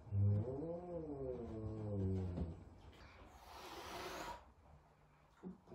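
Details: Big F2 Savannah cat, frightened at its first meeting with a little kitten, gives a low, wavering growl lasting about two and a half seconds, then after a pause a breathy, broadband hiss of roughly one second.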